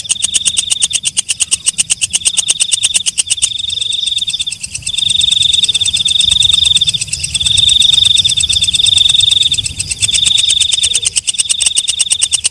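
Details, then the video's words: Night-calling walang kecek katydid: crisp rapid clicks open the sequence, then long bursts of shrill ringing buzz alternate with short pauses, each burst lasting a couple of seconds. "Suara Walang Kecek/ Belalang Malam"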